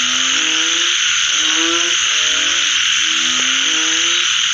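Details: Frogs calling after rainfall: drawn-out, tonal croaks with gently gliding pitch, a few callers alternating, set against an unbroken shrill insect drone.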